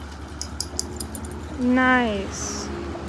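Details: Siberian Husky on a road trip, at a dog park lake in Colorado where the dogs swim, run and play: a single drawn-out, tonal howl-like note lasting about half a second, steady then slightly falling, after faint clicks and background voices.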